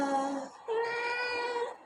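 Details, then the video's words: Domestic cat giving two drawn-out, tonal meows, the first short and steady, the second longer and slightly wavering, with a soft voice repeating words nearby. "cat funny sound"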